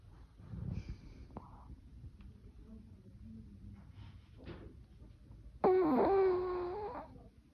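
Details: Yorkshire Terrier named Choco snoring in its sleep indoors: faint breathy snuffles and soft rasping breaths, then a loud, nasal, whistling wheeze lasting nearly two seconds before fading back to quiet breathing.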